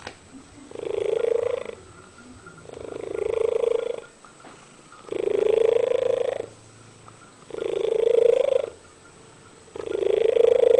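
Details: Domestic cat singing: five long, drawn-out tonal meows, each about a second and gently rising in pitch, repeated roughly every two seconds with quiet gaps between.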